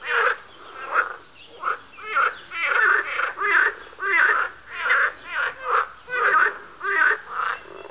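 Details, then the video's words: Frogs croaking while chasing each other: loud, harsh, rasping calls come in quick bursts about once or twice a second, overlapping and uneven, with no other clear sounds. "Noisey Frogs"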